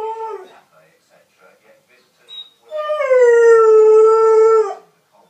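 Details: Alaskan Malamute puppy, six months old, gives a brief howl, soft murmurs, then a long smooth howl that starts higher and settles into a steady tone for nearly two seconds.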